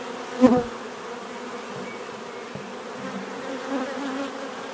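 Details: Bees buzzing. One bee passes loudly and close early on, a quick rising-falling whine. After it, a softer, steady low hum of more bees continues in the background.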